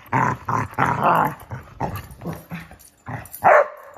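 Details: Two Basset Hounds playing hide and seek; rough throaty growls and grumbles in repeated bursts, ending in a couple of sharper, louder barks.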